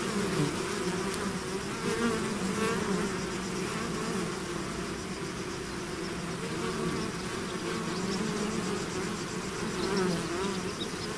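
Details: Bee swarm pouring out of its hive, a dense continuous drone of many wings with overlapping pitch bands that waver up and down, steady level with slight swells, no other sounds apart from faint higher hiss.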